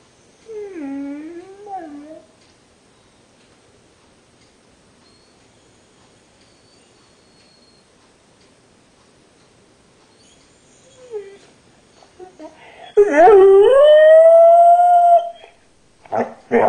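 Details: Rogue the pet dog, shut in the kennel while the kids are driven to school, gives a short wavering whine, falls silent for about ten seconds, then lets out a louder, longer whine that dips and rises, followed by faint clicks.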